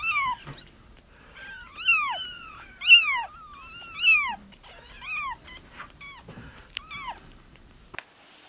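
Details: Several kittens cry to draw back a feral mother for trapping, with overlapping arched, wavering mews, loudest in a burst around the middle, then thinning into shorter, scattered squeaks.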